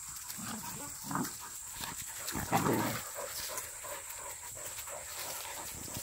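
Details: A young hunting dog in training for wild boar hunting, with agility work, gives a few rough, short barks over a steady background hiss.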